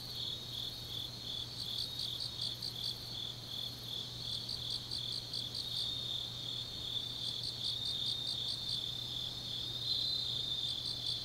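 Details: Quieter autumn night insect chorus in Changnyeong, South Korea: several high callers overlap, one giving short bursts of rapid chirps separated by pauses over a continuous thin trill and a low steady hum.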